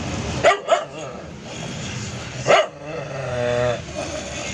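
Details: Shady, a doodle poodle, gives two quick sharp barks close together, then a single louder bark about two seconds later, while a man keeps calling out "What's up Shady boy" in a steady background hum.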